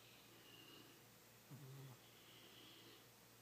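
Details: A sleeping old fat cat, Kitty, gives a single short, low, rough snore about a second and a half in, surrounded by a quiet, hissy indoor hush.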